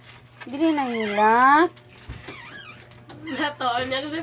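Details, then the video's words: Crying dog, heard indoors, giving a long, loud, drawn-out wail that dips and rises again over about a second, then softer wavering cries follow against a constant low electrical hum. "Crying dog"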